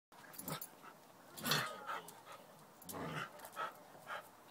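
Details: Pet dog named Tippy taunting a cat named Tortoise, trying to get it to play; breathy broadband pants and huffs come in uneven bursts about every half second to a second, one louder huff with a faint whine-like tone.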